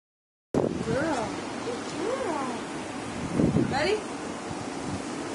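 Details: Memphis, a Siberian Husky and older brother, howls in jealousy while watching 11-week-old pup Nikkita Blu swim in a big pool he is too big to enter. Wavering, arching tonal woos rise and fall, mixed with people talking and water.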